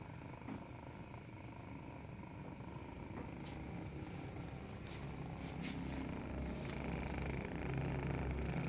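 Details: Nursing kitten purrs continuously, a deep, rough rumble with a fast regular pulse that grows gradually louder across the recording, with faint soft clicks and rustles above it.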